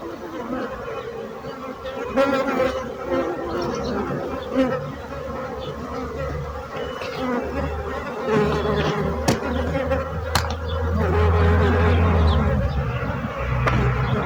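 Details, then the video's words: Many bees fill the air with a steady buzzing drone, joined by a deep low hum that grows stronger toward the end, with occasional sharp clicks. "So brutzit abelles - Bees sound - Bees buzzing sound effect"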